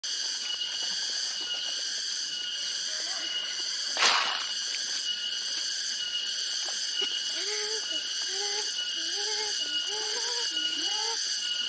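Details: A cicada calling loudly from trees in the countryside around Kebumen, Indonesia, gives a steady, shrill drone, with short rising whistled notes from another animal toward the end.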